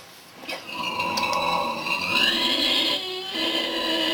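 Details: Vietnamese pig asleep, giving one long, drawn-out snore. The tone is nasal and whistly, with a faint rising pitch partway through and a brief dip before it continues.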